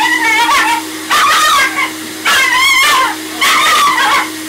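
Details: A Maltese cross named Zac protests his first hydrobath with four loud, wavering wails, each lasting about a second, separated by short pauses, while a pump drones steadily underneath.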